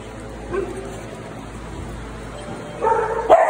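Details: Small dog in a Saturday morning group: after a quiet stretch, a pair of sharp, high yipping barks burst out near the end, with faint room noise throughout.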